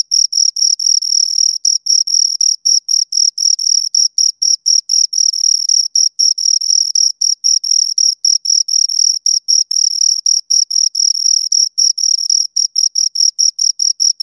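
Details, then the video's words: Continuous shrill chirping of two crickets, rapid pulsed bursts cut by very short breaks several times per second, rhythmic and unchanging in pitch, with a faint higher harmonic and no other sounds. "Two Crickets Chirp Sounds"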